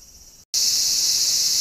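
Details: Cicadas at a temple in greenery in Kyoto, Japan, around 1 pm on an extremely hot August day, make a steady, loud, high-pitched electric hiss that never pauses.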